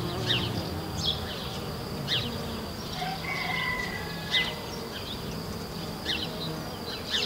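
A field cricket sings a steady, high, shrill trill, broken by scattered sharp clicks and ticks.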